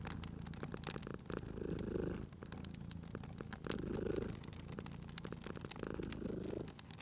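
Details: Purring from a sleeping cat at a crackling fireplace; three slow waves of rumbling purr, one every two to two and a half seconds, ride over a bed of crisp fire pops and hissing.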